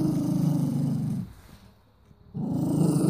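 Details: Sangoy, a pet mini doberman in Cyprus, growls and shows his teeth at his owner when offered food he refuses to touch. A deep, steady rumbling growl lasts over a second, pauses briefly, then resumes.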